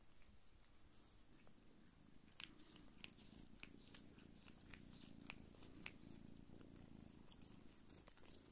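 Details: Don Sphynx mother cat, a hairless breed of Russian origin, nursing her kittens indoors. A steady low rumbling purr runs throughout, overlaid by soft wet suckling clicks and smacks from the feeding kittens.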